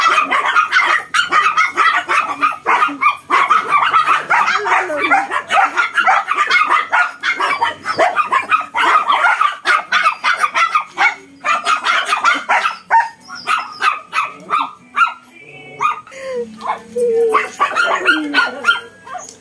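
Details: A small Shih Tzu and a larger Belgian dog bark rapidly and continuously at each other, with sharp yips overlapping.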